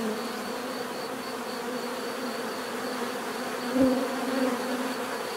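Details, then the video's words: Bees humming in a continuous buzz, with one louder insect sweeping close by near the end before the even swarm drone returns. "bees therapy relaxing natural buzzing sound"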